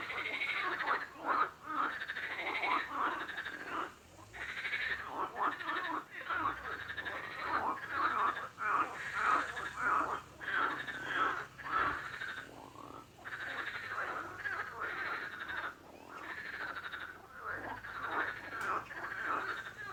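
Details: Many frogs croak together, a rapid series of raspy, buzzing pulses repeated nearly twice per second without pause.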